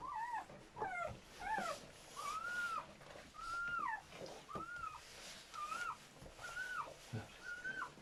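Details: German Shepherd puppies, newborn from a litter of seven born in labour, cry in a steady series: about eight brief arched squeals, each rising then dropping, spaced roughly a second apart over a quiet room hiss.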